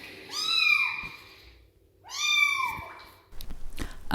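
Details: A rescued female kitten found alone on a street without her mother, meowing after her first bath: two loud, drawn-out meows that rise then fall, about two seconds apart, followed by rustling.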